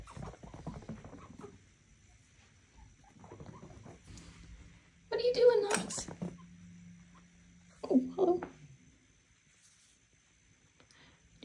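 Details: Knox, a vocal male pet chinchilla in his cage, screams for attention, wanting out to play after his owner was late for the cleaning and playtime routine. Two loud, harsh, broadband bursts, one near mid-clip and a shorter one later, in a quiet indoor room.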